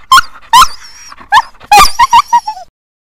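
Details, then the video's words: Siberian Husky "talking": a run of short, loud, harmonic yelps and whines, some rising then falling, others wavering, ending in a few clipped, descending whimpering notes before silence; no other clear sounds. "Funny Husky Talking"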